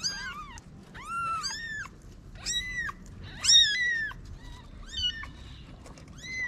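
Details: Street cats in Morocco, a mother cat hiding her newborn kittens in a paper box; a rapid run of high, thin, arching mews, several overlapping, each rising then falling, over soft background noise.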